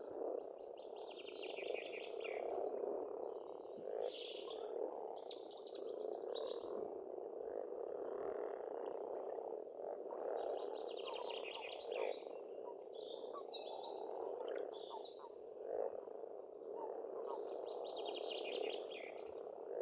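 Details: Spring pond in Estonia with many frogs croaking together in a steady, dense rattling chorus, while songbirds add bursts of high twittering and whistled phrases throughout.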